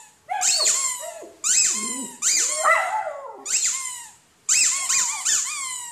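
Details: Poodle barking, one of a compilation of barking and howling poodles: five bursts of high, squeaky, yapping barks, each with a rising and falling whine-like edge, separated by short silences.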